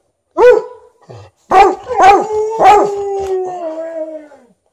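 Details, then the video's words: Old Golden Retriever (13 years) voicing its demand for more petting, with a Malamute objecting nearby: an opening bark, then three quick harmonic barks flowing into a long, slowly falling howl. "13-yo Golden Retriever vocally demands more petting"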